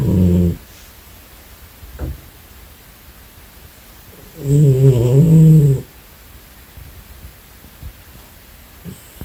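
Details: Female domestic cat snoring while napping: two low, rasping, harmonic snores about four seconds apart, each lasting about a second, with quiet breathing between.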